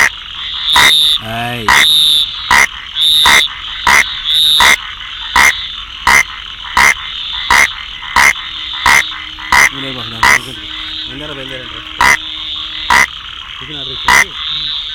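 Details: Rain frog calling: short, sharp broadband clicks or chirps repeated about every 0.7 seconds, irregularly spaced, over a steady high-pitched background drone, with a few lower warbling sounds between calls.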